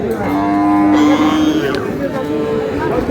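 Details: A single sustained, level moo from a cow at Aftabganj cattle market lasts over a second against a constant background of crowd noise.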